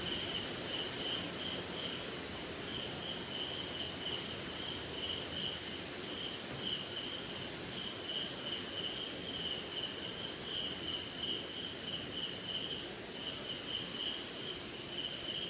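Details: Night-time cricket and insect chorus in the rain, somewhere in India: a dense, shrill, pulsed trill that thins out partway through, under a lower chirping band in repeated short bursts and steady rain patter.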